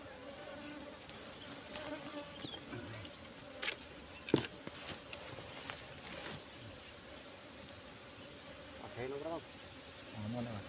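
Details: Wild Asian honey bees at a nest found in bushes, during a honey harvest. A steady low hum runs throughout, with a few sharp clicks and handling knocks, and brief human speech near the end.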